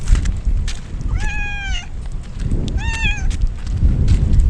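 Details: Stray kittens soaked by rain as a typhoon approaches, crying out: two drawn-out, harmonic-rich meows roughly a second and a half apart, each holding a fairly level pitch, over a steady low rumble of rain and wind.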